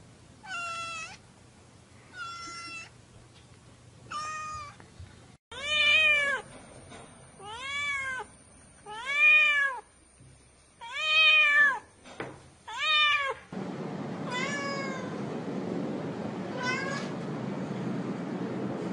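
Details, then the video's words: A kitten meows repeatedly, about ten short arched cries coming every second or so. They grow louder midway, then the last meows fade into a rushing broadband noise. "tiếng mèo kêu meo meo mèo con kêu dễ thương"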